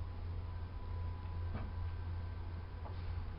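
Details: Steady low indoor hum with a couple of soft clicks and faint knocks; no animal voices.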